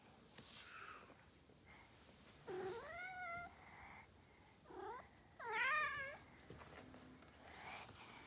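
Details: Norwegian Forest Cat clinging to a person's arm and acting affectionate in front of the owner's daughter, indoors; two drawn-out harmonic meows that rise then bend downward, with a shorter softer mew between them, in a quiet room.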